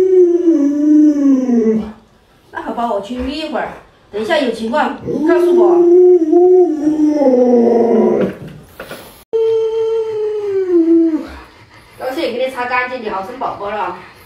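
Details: Alaskan Malamute Luoluo, a pet dog at home, calls out to wake its owner who stays in bed after sunrise: long, drawn-out falling howl-like whines, several in a row, alternating with stretches of human speech.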